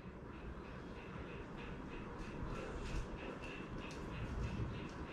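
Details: Steady low rumble of passing traffic or a train, with faint rhythmic clicks above it; no animal voice is heard.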